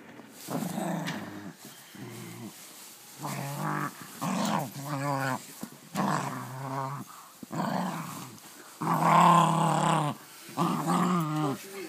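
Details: Pet dog enjoying its new toy, vocalizing in gremlin-like fashion: repeated warbling, groaning growls in irregular bursts of about a second, some pitch-wavering, with short pauses between.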